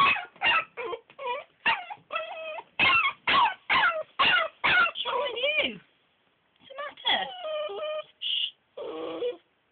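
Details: Crated Belgian Malinois puppy complaining about bedtime: rapid, sharp yips about two per second, sliding whines, a brief pause, then further rising and falling whimpering cries.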